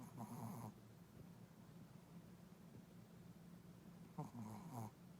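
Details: A sleeping dog snoring: two short rasping snores about four seconds apart, each a rough buzzy breath with a squeaky edge, over a low steady indoor hum.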